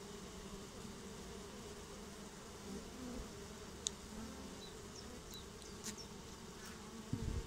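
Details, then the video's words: Swarm of honeybees settling into a new home, a steady low droning hum with layered tones that holds unbroken throughout, a few faint high clicks and ticks scattered above it. "Swarm of honeybees get new home"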